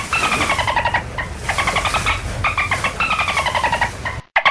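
Dolphin calls: rapid buzzy pulse trains with a squealing tone that slides slightly downward, repeated in bursts.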